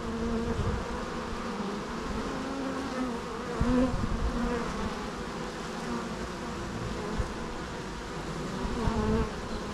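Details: Natural bee sounds: a steady low humming drone of many wings, with harmonic bands and brief louder swells as individual bees pass close near 3.5 and 9 seconds.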